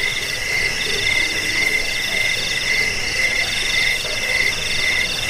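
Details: Cricket, in a recording used against rats and for bird training, gives short ringing chirps roughly twice a second over a busy high insect drone.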